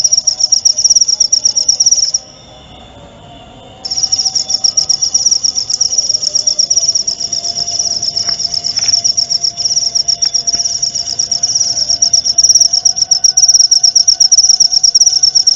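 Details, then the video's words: Cricket recorded as tutoring material for murai batu (white-rumped shama), to be played nightly and at dew time; a piercing, rapidly pulsed high trill stops briefly after two seconds, resumes, then runs on steadily. "masteran suara jangkrik jernih!"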